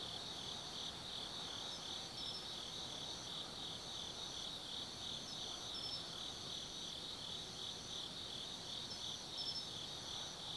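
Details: Autumn night at Tsukimi no Mori in Gifu Prefecture, Japan, where forest insects sing above the Nobi Plain: a thick band of high, buzzing trills runs throughout, dotted with short higher chirps repeating at irregular intervals.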